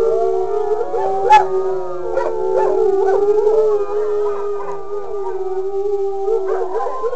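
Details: A wolfdog gives one long, steady, fairly level howl held for several seconds, with fainter wavering howls from other animals rising above it and a short sharp yelp early on.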